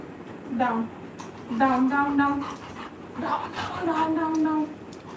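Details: Pet Labrador Retriever named Coco giving tonal whining calls with stacked harmonics, three drawn-out rising and falling whimpers over about five seconds, indoors after repeated spoken commands to sit and lie down.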